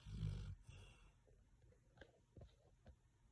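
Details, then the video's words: Red-nose Pit Bull asleep, snoring loud enough to hear in the other room: one deep, rumbling low snore at the start, then quiet breathing with a few faint clicks. "red nose Pittie sleeping like a baby! Snoring"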